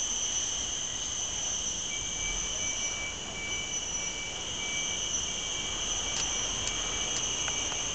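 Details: Cicadas in Mt. Faber park, Singapore, fill the air with a steady, high-pitched electric drone that never pauses.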